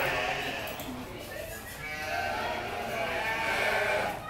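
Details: Lambs crying in a way likened to human babies: overlapping wavering, nasal bleats in a continuous dense chorus, rising and falling without pause, with a man's voice nearby.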